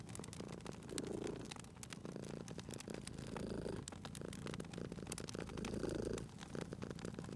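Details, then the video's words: Purring cat by a fireplace: a deep, buzzy rumble rising and falling in three clear breathing pulses, with the fire snapping and popping steadily throughout. "Cute Purring Cat at a Crackling Fireplace"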